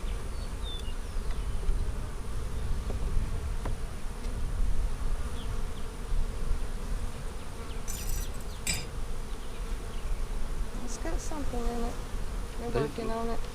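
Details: Honey bee colony during an April 15, 2017 hive inspection of a split made March 4, bees building comb on a frame; steady low droning hum under rumbling wind, with brief clicks and knocks from frames being handled near the end.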